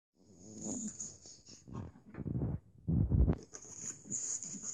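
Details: Staffordshire bull terrier growling in low, rough bursts with breathy wheezes, loudest near three seconds, over a steady high electronic whine.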